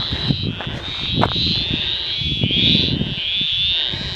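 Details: Frogs croaking around remote rock pools near Tocumwal, New South Wales, a steady high pulsing chorus with wavering swells, over low rumbling wind and handling noise.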